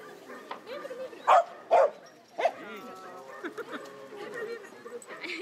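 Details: Corgis at a corgi meetup on 1 December 2013, with three sharp, loud barks in close succession early on, then softer yips, amid people talking and laughing nearby.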